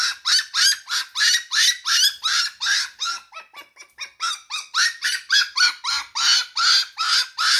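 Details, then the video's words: Single Shiba Inu pup at 5am calling for its mother indoors: a continuous run of piercing, high yelping cries, roughly three per second, each short and falling slightly in pitch, without pause. "shiba puppy cries"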